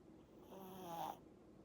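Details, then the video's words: Eight-month-old Pomeranian puppy snoring while asleep: one soft, rasping snore breath lasting under a second, with a faint tonal whistle near its peak, then quiet breathing. "코골면서 자는 강아지"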